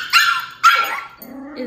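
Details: First meeting of Tito, a two-month-old Min Pin puppy, and Jupie, an 18-month-old Dachshund: two sharp, bright barks half a second apart, followed by a lower rumbling growl.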